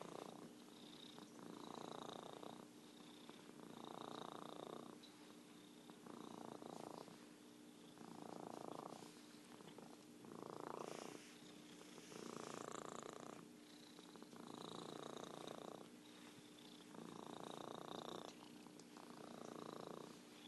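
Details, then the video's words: A long stretch of purring from Merlin, an orange tabby and self-styled champion purrer: about ten regular pulses of rattling purr, each around a second, alternating with quieter intakes, over a faint constant hum. "Virtual Purring Cat"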